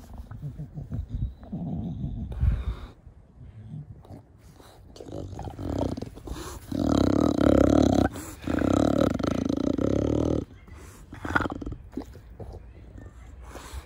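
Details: Garden play with Da Vinci, a pet short-nosed bulldog, producing loud, rough 'fugo fugo' snorting breaths; long harsh rasps around seven to ten seconds, broken by pauses and lighter snuffles.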